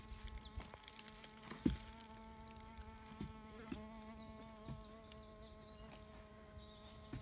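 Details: Bee fly, Bombylius major, probing some sand: a continuous, level droning buzz with rich overtones holds for the whole stretch, broken only by a few soft taps and one sharp knock.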